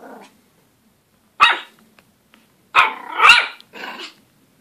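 A Pomeranian puppy gives sharp, high-pitched yapping barks, one single and then a quick run of several.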